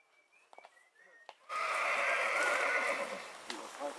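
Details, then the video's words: Horse neighing in spring: after a few faint bird-like whistles and knocks, a loud sustained harmonic whinny bursts in and holds steady for about two seconds before fading, with a brief knock near the end. "CABALLO PURO RELINCHANDO"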